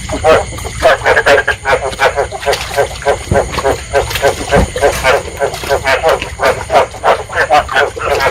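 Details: Many Chinese edible frogs (East Asian bullfrogs, Hoplobatrachus rugulosus) croak together in short, rapid, throaty bursts, a dense breeding chorus of calls that attract other frogs, used as a frog-trapping lure.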